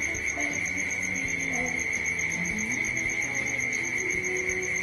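An evening chorus of crickets keeps up a steady, high, unbroken trill throughout, with faint distant voices murmuring underneath.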